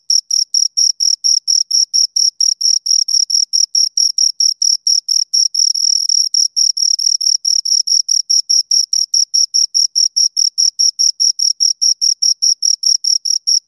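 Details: Continuous chirping of two crickets, fast regular high-pitched pulses that blur into a sustained trill for a moment near the middle, otherwise evenly spaced; quiet background.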